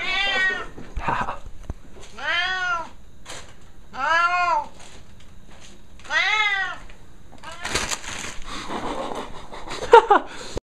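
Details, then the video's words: Very loud Siamese cat indoors calling repeatedly: four long, strained, arching meows about every two seconds, each near a second, then scuffling and clattering noises toward the end. "Posibilly the Loudest Siamese Cat Ever?"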